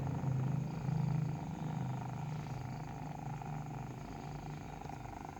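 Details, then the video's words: Kitten purring while nursing: a low, rumbling buzz pulsing steadily at about four beats per second, louder in the first second, then softening to an even drone. "Breastfeeding kitten makes a purring sound"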